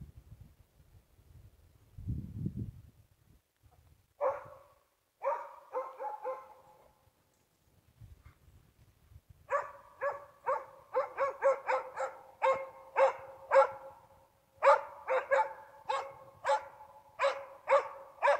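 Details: Rasken, a hunting dog, baying at a bull moose after tracking it kilometres through the forest. Sharp, ringing barks start hesitantly, then quicken into a steady, rapid series of two or three per second, with low rustling early on.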